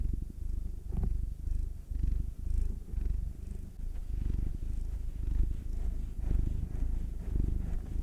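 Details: Massaged cats purring, nine-year-old black tom Will and two-year-old tortoiseshell Munchkin female Anzu: even, low vibrating rumble with gentle breath-paced swells under a quiet room, occasional faint handling noises.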